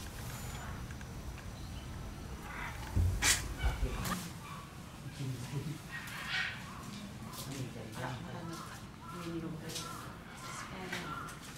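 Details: At Kyoto City Zoo on January 16, 2022, a young male gorilla gives loud, harsh squeals and cries, furious at his mother, with human voices murmuring behind.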